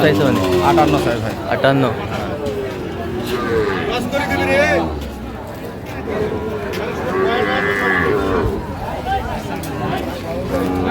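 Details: At a busy cattle market in Madaripur, 26 March 2025, during the purchase of a Sahiwal bull calf, loud wavering moos come around four seconds in and again near eight seconds, with people talking throughout.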